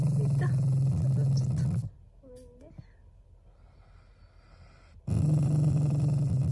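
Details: Shiba Inu growling affectionately, not angrily: low rumbling growls open and close the moment, with a brief high whine or vocal sound in the quiet middle.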